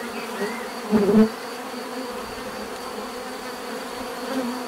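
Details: Bees humming steadily, with one louder bee passing close around the first second in a brief swell of deeper buzz before the drone settles back to a soft, even background.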